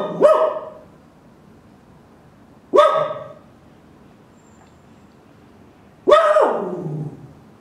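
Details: Roka, a dog, gives three loud single barks spaced about three seconds apart, each a sharp harmonic burst with a short trailing tail, quiet between them.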